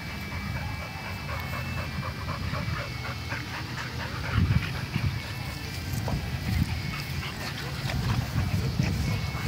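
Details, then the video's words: A Dalmatian bulldog fighting a dogo argentino: rough, scuffling bursts of short harsh sounds over a heavy low rumble, with a louder surge of snarling noise around the middle and a man speaking Spanish briefly at the end. "Dalmata bulldog vs dogo argentino"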